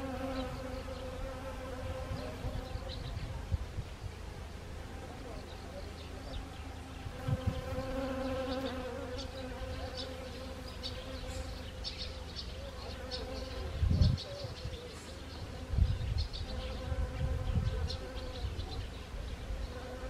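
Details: Several honeybees visiting blooming Siberian chrysanthemums in Gangwon Province, South Korea, on 1 October 2020; continuous buzzy hum rising and fading as bees pass close, with low rumbling bursts and faint distant chirps.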